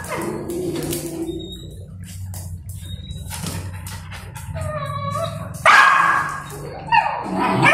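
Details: A mother Golden Retriever disciplines an aggressive, disrespectful golden retriever puppy. Whiny yelps give way to sharp, loud barks near the end, over a low steady hum and faint background music.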